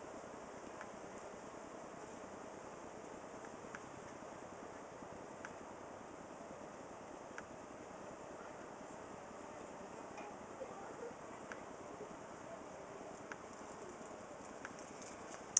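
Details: Up close at a cedar squirrel box, a honey bee colony fans its wings to cool the nest in roughly 95-degree heat, July 2011. An even, unbroken hum runs throughout, with scattered soft ticks.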